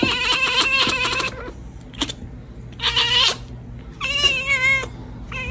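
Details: Domestic cat meowing loudly: a long, harmonic-rich meow of over a second, a short chirp, a second drawn-out meow, then a wavering, quavering meow and a brief final call.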